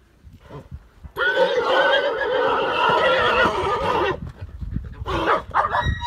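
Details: Pura Raza Española horses, a herd of stallions and mares with a new young stallion, during a fight: one long, loud, shaking whinny of about three seconds, then a shorter second neigh after a pause.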